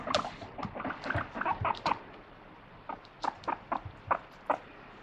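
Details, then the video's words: Guinea pig indoors complaining with repeated short 'puipui' squeaks after not getting a treat, given in a steady series of brief, evenly spaced chirping notes with soft pauses between bursts. "おやつもらえなくてプイプイ文句言うモルモット The Guinea Pig wants Vegetables!"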